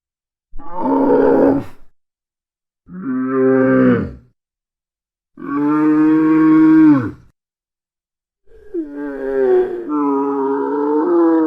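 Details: Dromedary, the Arabian camel, giving four loud, drawn-out bellowing grunts with rich stacked harmonics, each lasting one to two seconds and separated by short silences, the last one long and wavering; no other sounds.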